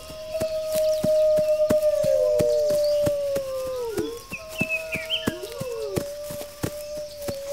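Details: Wolves giving long, level howls that hold for seconds and then fall away, a second voice joining in. Said to help the pack prepare defenses against attack. Rapid regular clicks run underneath, with brief high bird-like chirps midway.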